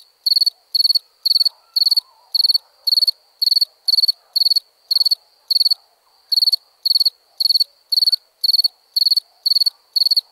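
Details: A cricket chirps steadily at night, each high, trilled pulse-burst repeating about twice a second.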